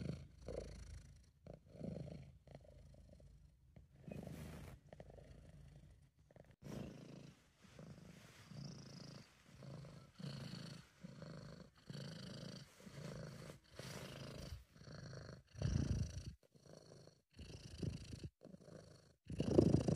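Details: A happy British Shorthair named Sabu purrs in a home recording made by an amateur. A steady low vibrating rumble pulses with each breath, short rhythmic surges through the whole stretch, growing louder near the end.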